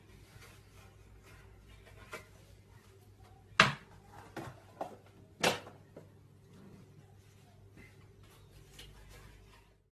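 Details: Indoor knocks and door-like thumps over a low electrical hum, with no animal voice.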